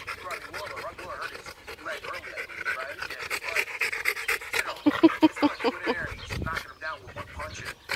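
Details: Rottweiler named Macho panting hard between throws of his ball in a game of fetch; quick airy breaths fill the first seconds before a person's voice breaks in near the end.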